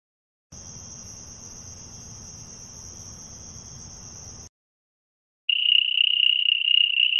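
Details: Cricket sound: first a thin, steady, very high whine with a hissing background, then silence, then a few seconds of a loud, continuous, slightly wavering high trill.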